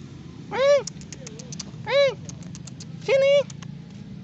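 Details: Injured cat found helpless at a roadside after being hit by a vehicle, its body covered in black mud, during Ramadan: three loud, drawn-out harmonic meows about a second apart, a faint softer mew between, quiet murmuring speech behind.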